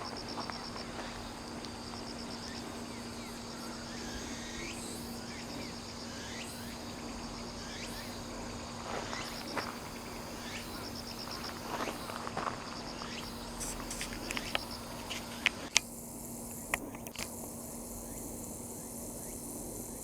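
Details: Cicadas calling on 15 September 2025, Respect for the Aged Day, filmed from about 170 m elevation at Sakurazawa, Yorii, Saitama, Japan: rapid pulsed high-pitched buzzing in repeated trains over a steady low hum, with scattered clicks and faint sweeping tones.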